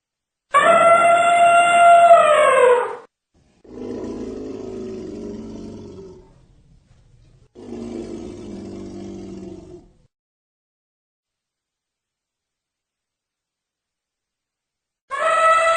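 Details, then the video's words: Elephant sounds: a loud harmonic trumpet blast, then two deep, grating rumbles, a long silence, and a second trumpet beginning at the very end. "Elephant sound"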